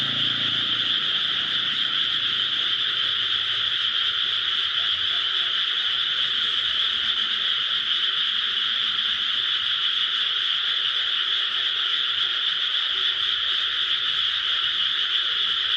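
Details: Frogs calling in rice paddies near home, a dense, unbroken high-pitched chorus that holds steady for the whole stretch with no pauses.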